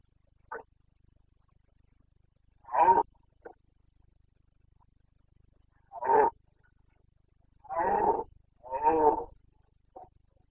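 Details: Carpathian red deer stag in Bucovina during the breeding season, 29 September 2022, roaring: a short bark, then a series of harsh, throaty bellowing roars, several in quick succession near the end, over quiet background.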